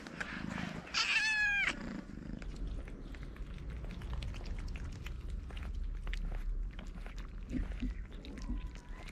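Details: Homeless hungry feral cats climbing on someone, one uttering a loud, clear, slightly wavering meow lasting under a second early on, followed by low rustling, scratching and faint background clicks.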